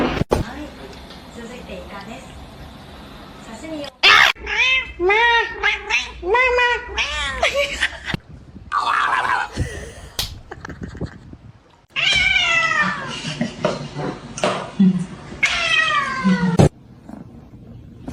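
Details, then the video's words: Domestic cat uttering a quick run of short, arched meows, then a pause followed by several longer, falling wails, with people talking in between and over the calls. "kitten meowing call"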